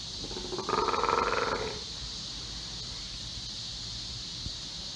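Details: Captive Steller sea lion pup about three months old, raised by its mother Hina at Ise Sea Paradise aquarium, Japan. The pup is wary of staff. One harsh, pulsed bleating call lasts about a second over a steady background hiss.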